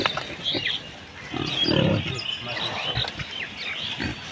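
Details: Farmed pig in a Bangladesh village giving a short burst of low, rough grunts near the middle, with thin high chirping of small birds scattered throughout and faint background rustle.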